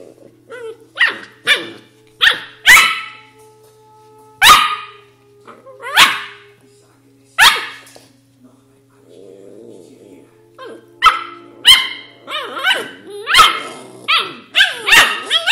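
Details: An Australian Shepherd puppy "talks", giving a run of high, sharp yips and barks with some whiny grumbles.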